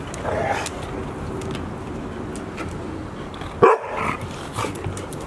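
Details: A Golden Retriever puppy, about 169 days old, filmed 11 October 2018, gives a single short, sharp bark against a steady background hum.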